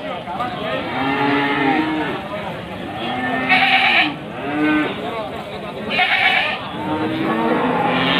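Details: Male goats for sale before Qurban at Pasar Wage market, Panggul, Trenggalek, Indonesia, 18 May 2020, with Etawa, Jawa Randu and Boer-cross animals present; several wavering, nasal bleats rise and fall over busy crowd chatter and men talking.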